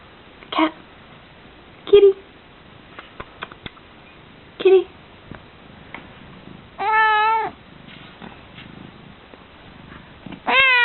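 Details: Female house cat making groggy evening or morning meows: short grunting chirps spaced a few seconds apart, then a longer clear wavering meow near seven seconds and another starting at the end, with quiet clicks between.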